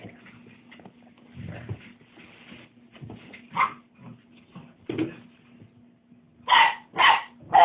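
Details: Young Tosa Inu puppies give irregular soft whines and grunts, then a loud burst of three quick high yips near the end, each brief and sharp, with a constant low hum underneath.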